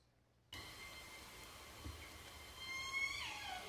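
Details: Southern Resident killer whale recorded in Indian Arm, the first detection of the population there, giving a high, harmonic call that ends in a quick downward sweep.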